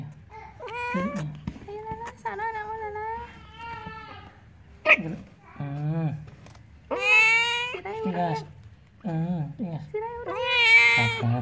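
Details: Domestic village cat about to give birth meows repeatedly indoors: long, wavering, plaintive cries, several rising then falling, about every one to two seconds, with a person speaking quietly in between.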